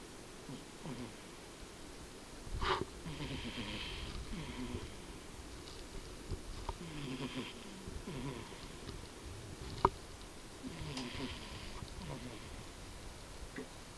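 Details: Tobiko, a pet cat, snoring loudly while asleep indoors: soft, breathy, wheezing snores with a faint hiss, rising and fading with each breath about every four seconds. A sharp click sounds near the tenth second.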